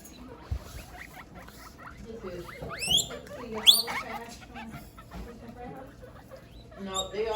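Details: Several pet guinea pigs give loud wheeking calls, sharp rising whistles repeated in quick bursts, loudest near the middle, with soft low murmurs and people talking faintly behind.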